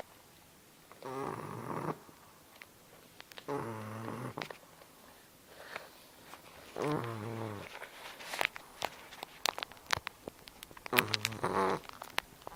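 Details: Sleeping English Bulldog Margarita snores in four loud, rasping, harmonic-rich breaths spaced roughly two to three seconds apart, with sharp clicks, rustles and small indoor noises filling the gaps.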